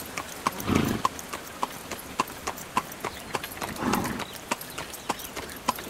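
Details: Horse hauling a carriage, quick irregular clip-clop of hooves with faint ringing knocks, two soft breathy swells rising between the steps.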